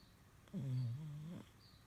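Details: A sleeping French Bulldog gives a single low, rumbling snore lasting under a second, a steady buzzing drone with a slight rise at its end, set against quiet background hiss.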